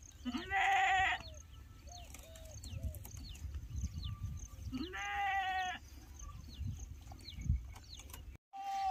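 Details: Goat kids on a farm, being fed extra because their mother's milk is not enough; two loud, harmonic, wavering bleats about four seconds apart, each near a second long, over background farm noise and soft voices.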